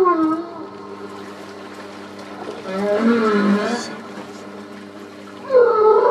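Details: Humpback whales off Port Stephens, NSW, Australia, recorded during an August 2009 whale-watching cruise: a long wavering moan that dips and rises, followed after a pause by a higher swooping cry, over a constant engine-like hum.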